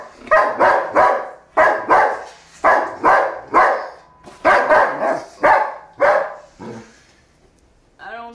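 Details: Indoor German Shepherd going after a cereal box, giving repeated loud barks in pairs and triplets, then falling quiet before a short final bark with a falling whine at the end.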